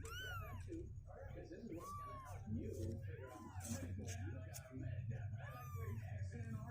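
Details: Two-week-old kittens, now stronger and climbing out of their box, let out a few scattered rising-falling meows above a steady low hum and muffled background voices.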